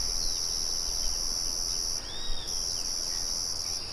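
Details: Crickets with birds and a windmill murmuring nearby: a sustained thin, shrill trill cut off for half a second at the midpoint, a soft bird whistle arching during the break, and low rumbling noise throughout.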